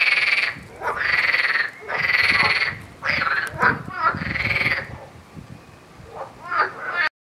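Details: Loud, harsh frog croaks in long, raspy bursts of about half a second, repeated roughly once a second, with a short pause before a few softer, choppier calls at the end.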